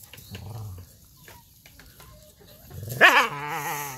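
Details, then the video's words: An injured dog gives a sharp, high yelp about three seconds in, sliding down into a wavering whine with clear harmonics; before it, low rumbling sounds and a person speaking softly. "dog injury"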